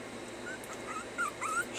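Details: Puppies being taught to stay whimper in a few thin, high, wavering whines late in the moment, gliding up and down, with a person's voice repeating commands around them.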